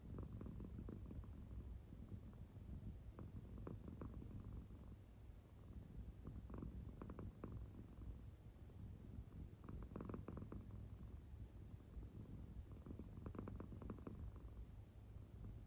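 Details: Sleeping American Shorthair cat, soundly asleep indoors with its belly rising and falling; soft low rumbling purr-snores come in slow waves, swelling roughly every three seconds over a steady quiet hum.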